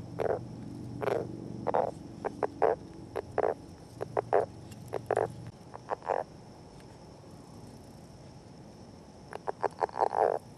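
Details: Courtship of northern leopard frogs beside an egg mass, camera left running alone: loud throaty croaks and chuckles in clustered bursts, a quiet pause midway, then a rapid run of calls near the end.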